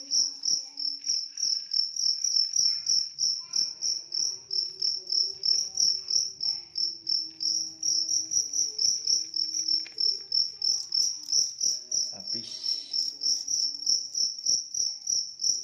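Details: Continuous rapid chirping from a big cricket, bright and high, pulsing about three times a second, with faint low background sounds and a brief rustling burst near the end.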